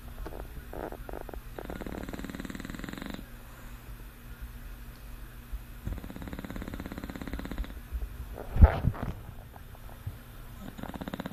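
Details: Sleeping English Bulldog snoring indoors: low rasping breaths in long rhythmic bursts, each lasting about one and a half seconds, with quieter pauses between them and a short sharp noise near the end.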